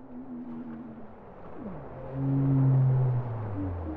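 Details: Undersea song of a bowhead whale: a gently wavering tone, a quick downward swoop, then a powerful sustained low moan with stacked harmonics that trails off lower.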